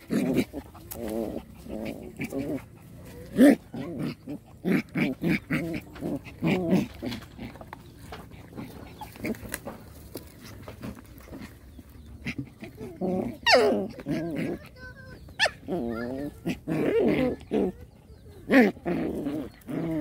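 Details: Rottweiler puppies wrestling in play fights, a run of short gruff growls and snarling grunts repeated in quick bursts, broken by brief pauses and a few sharper yelps.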